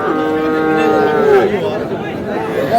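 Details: Sahiwal bull calf for sale at a haat on 5/5/26. A long, level moo falls in pitch and ends in a brief bleat-like break. It is followed by a fainter call, with market chatter and a man speaking throughout.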